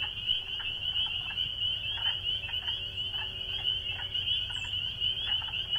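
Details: Spring peeper (Pseudacris crucifer), chorus song.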